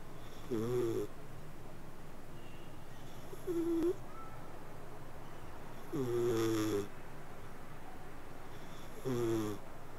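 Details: A domestic cat purrs and snores in its sleep. Four nasal, harmonic breath sounds come roughly every three seconds, the second shorter and fainter, over a quiet steady hiss.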